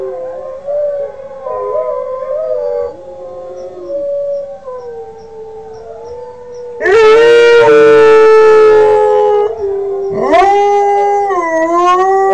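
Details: Five-month-old Northern Inuit dog Kodiak, learning to sing, holds a thin wavering howl, then breaks into a loud, strained, rich-toned howl with a second sharp rising cry near the end.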